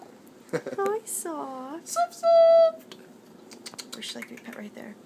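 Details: Female Manx cat with a stub tail and extra front toes chirping while purring as she is petted and scratched: short, harmonic chirps that dip in pitch, then a steadier held tone.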